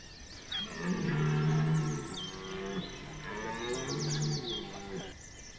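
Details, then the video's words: Red deer rutting bellow at Chambord in September 2021: two deep, hoarse, sustained roars, the first about a second and a half long, each with stacked harmonics, while small birds call faintly above. "Au coeur du brame du Cerf Chambord"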